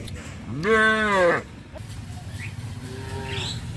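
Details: Cows herded to the pen by a farmer in the evening; one strong moo rising then falling, lasting under a second, followed by a quieter distant moo amid low background noise.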